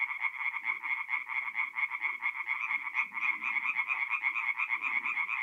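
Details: Chorus of tree frogs singing at night at a forest pond in north-east Italy in the middle of April: fast, rattling croaks repeated roughly twice a second, overlapping callers, with faint lower murmuring beneath.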